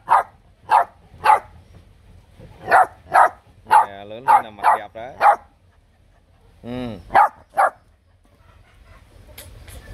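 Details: Vietnamese bobtail puppy barking boldly at the camera: quick, high yaps about twice a second, mixed with a drawn-out, wavering whine under the barks and a longer yelping howl midway, then more yaps.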